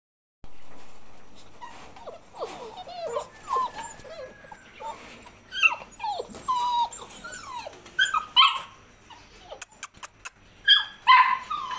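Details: Labrador Retriever puppies whimpering together: a busy overlapping run of thin, tonal whines that bend up and down, some short and sliding, others drawn out, with a few sharper yelps and faint clicking near the end.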